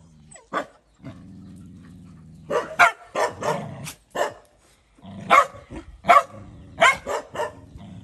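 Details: Dog reacting angrily to a big dog that bullies him: a low sustained growl for about two seconds, then a run of harsh barks spaced irregularly, with growling underneath.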